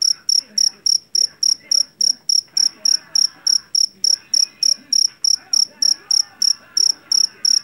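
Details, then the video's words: Jangkrik jeliteng, a loud-voiced Javanese cricket from rice fields: rapid train of bright, high chirps about three per second, faint indistinct sounds in the background. "SUARA JANGKRIK PENGUSIR TIKUS SUARA ASLI"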